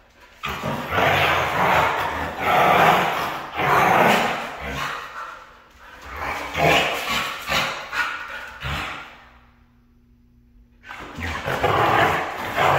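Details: Red female Siberian husky giving loud, drawn-out, throaty vocal bursts in long runs, broken by a short quiet gap with a faint steady hum before she resumes.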